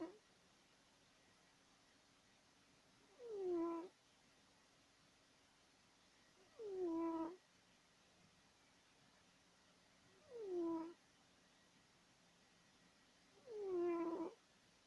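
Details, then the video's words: Woodward the cat asleep and snoring loudly: four short, falling, nasal tones spaced evenly about every three and a half seconds, with silence between breaths in a quiet indoor setting. "Our Cat Woodward Snoring!"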